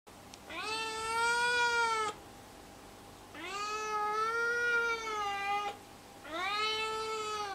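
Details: Four-month-old neutered male Siamese mix kitten in a cage on its first trial day in a new home, demanding to be let out: three long drawn, rich harmonic meows, each about one and a half seconds, rising then falling, in a small room.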